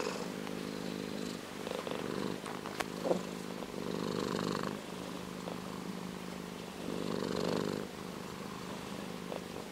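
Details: Low rumbling purr from an orange tabby cat, coming in bursts that swell and fade, with a quiet gap near the middle and a small click or tap partway through.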